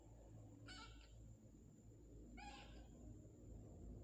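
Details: Adopted stray kitten, taken in from the street at night and described as lively, gives two short, high, harmonic meows about 1.7 seconds apart over a steady low hum and faint room noise.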